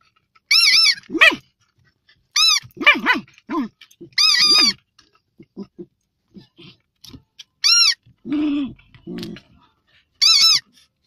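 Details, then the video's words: Fox terrier moaning in bursts of high, arching whines with strong overtones, each about half a second long, scattered across the clip with short low groans between them and quiet gaps. "Moaning doggie, fox terrier"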